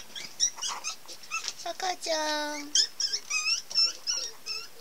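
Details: Pomeranian puppies at a kennel specialising in the breed: high, squeaky whimpers and short yelps in quick bursts, with one longer, steady, lower whine in the middle.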